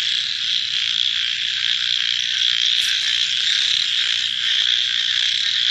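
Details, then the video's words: Many frogs croaking together at night, forming a constant high buzzing chorus with a few faint pulsed calls underneath and one brief sharp higher note near the middle. "Frog Night Sounds"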